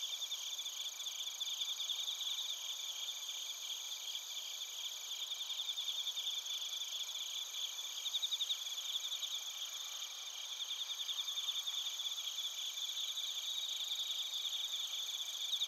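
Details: Suzumushi bell crickets and other crickets chirping together, recorded in Narita, Chiba Prefecture, Japan, with a TASCAM Portacapture X8; dense high-pitched trilling chorus with steady layered bands, rapid pulses repeating throughout.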